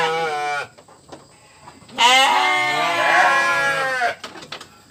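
A sheep gives a short bleat, then a longer, louder wavering baa.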